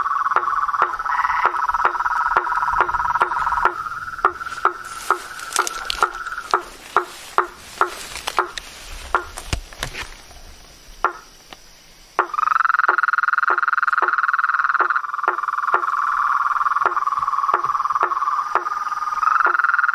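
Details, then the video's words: Frogs, toads and treefrogs in nature: a pulsed trill at the start gives way to a stretch of rustling noise and irregular clacking knocks, then the steady trill returns strongly for the final eight seconds. "Os sons dos sapos , rãs e perereca na Natureza"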